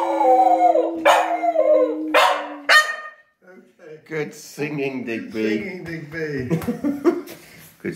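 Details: Digby the dog sings with Grandad, November 2020: several seconds of sustained falling howls with yelping onsets, then the howling stops and people talk for the rest of the recording.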